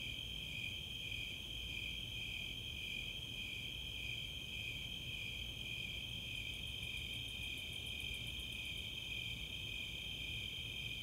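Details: Nighttime summer chorus of Snowy Tree Crickets and Four-spotted Tree Crickets in Chautauqua open space, Boulder, Colorado; steady high throbbing trills throughout, joined midway by a brief series of sharp, very high Greater Angle-wing Katydid ticks.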